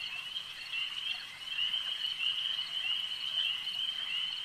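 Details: Frogs at a lake form a steady high trilling chorus that starts softer and swells louder after the first second and a half, then holds as a bright unbroken buzz.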